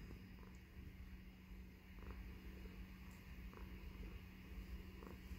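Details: Contented female tuxedo cat named Baby Girl, happy while burrowed in her owner's beard indoors, gives a continuous low throaty purr, rising and falling slightly in loudness, over a faint steady hum.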